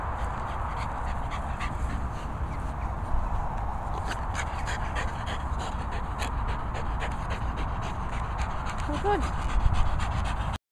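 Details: French Bulldog playing with a Kong rope toy: rapid, rhythmic panting breaths run throughout, with a short high rising whine near the end, over steady low background rumble and occasional human speech.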